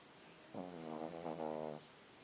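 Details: A sleeping small white Pekingese dog gives a single long snore, a low, buzzing, rattling breath with a fluttering quality that wavers slightly over just over a second. The room is otherwise quiet.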